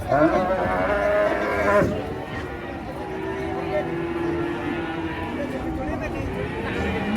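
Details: Cattle raging while being unloaded from a truck: a loud, harmonic moo fills the first two seconds, then people keep talking over vehicle noise.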